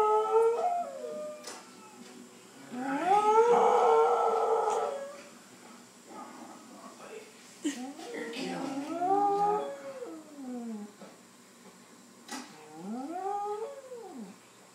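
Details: Scottish Terrier at home watching TV, giving wavering howls that rise and fall in arcs, a loud burst early on and several shorter yodelling howls later, over TV voices and background sound.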